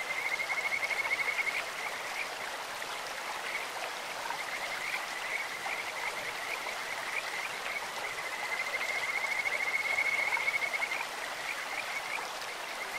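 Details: High, sweet trills of Kajika frogs from a clear stream: a burst of rapid notes at the start and a longer, swelling run later, each held on one pitch, with flowing water throughout.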